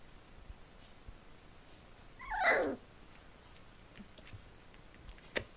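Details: Collie puppy of litter D vom Flörsbachtal, four weeks old, lets out a single loud, strained yelp that starts high and slides down over half a second, set against quiet room noise and a few faint taps.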